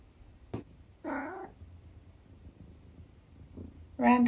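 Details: Long-haired tabby cat, nearly 12 years old, in the UK, giving random squeaks: a short wavering squeak after a click, a quiet pause with low room rumble, then a louder bright chirp-like call at the end.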